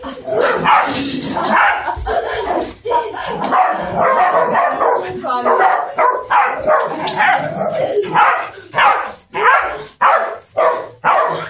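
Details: An Italian Greyhound gives sharp, high yapping barks in quick bursts while people talk over it.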